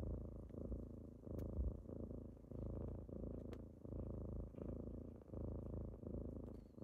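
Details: Low rumbling purr of kittens during a morning wake-up, rising and falling in even cycles about every one and a half seconds, with a couple of small sharp clicks over the drone.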